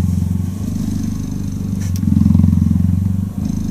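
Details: Close, steady cheetah purr during cuddling, a deep buzzing rumble of rapid pulses with one short break near the end and a slight swell in the middle.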